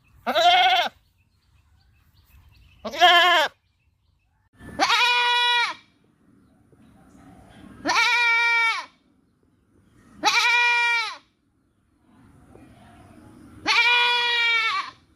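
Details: Repeated goat bleating: six loud, wavering, nasal calls over about fifteen seconds, the later ones longer and more drawn out, with faint background rustling between calls.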